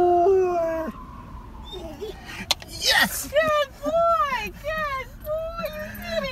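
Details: Pet dog howling at a passing fire truck: after a long sliding siren-like tone, a run of short arched yipping howl notes repeats about twice a second while a person talks over it.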